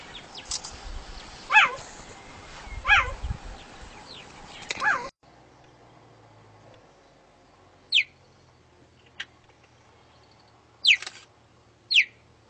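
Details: Cheetah calling in wavering, bird-like chirps at first, then short, sharp, high downward squeaks at intervals after a sudden drop in background noise.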